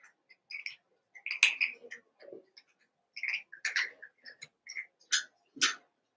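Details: Cavalier King Charles Spaniel puppies, two litters merged into eight pups playing together, give bursts of thin, high squeals and yelps, irregular and closely spaced, with light handling noises between.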